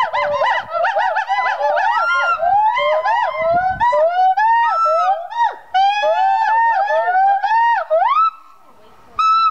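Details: Gibbons at the Gibbon Conservation Center in Santa Clarita, California, sing loud, musical whoops that swoop up and down in pitch, overlapping in a rapid chorus.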